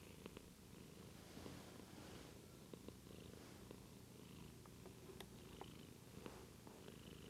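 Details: Quiet, steady purr of a white house cat, possibly sleepy, filmed indoors on a Lumix GH2; a low throbbing rumble with scattered light clicks and soft background hiss.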